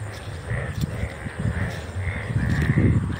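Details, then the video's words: Chorus of Indian bullfrogs, described as yellowish and lovely, calling in an empty open field by a house near a school in India. Deep rapid croaks overlap in a continuous throbbing mass, with brief higher nasal notes repeating above them. "মাঠে সোনা ব্যাঙের ডাকাডাকি"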